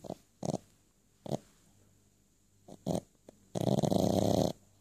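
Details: Boston Terrier named Ray dreaming while asleep, giving short muffled yips and snorts in brief bursts, then a longer breathy whimpering stretch near the end, indoors with a faint steady hum.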